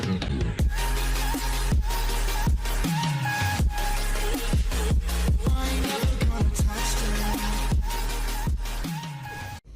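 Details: Dense electronic dubstep with pounding bass, rapid beats and synth layers plays throughout, and no animal call is audible.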